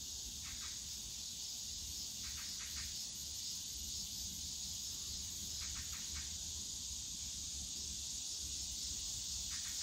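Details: Cicadas on a summer day in the bamboo forest of Yongsan Family Park, Seoul, South Korea; a dense, steady high hiss-like drone fills the clip, with short pulsed chirps breaking through in brief clusters and low park rumble beneath.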